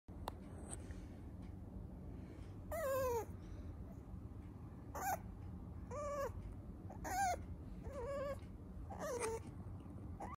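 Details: Female teacup-size Toy Poodle puppy weighing 470 g. Six thin, high whining whimpers, each sliding down in pitch, come at intervals of one to two seconds against a quiet, low background hum.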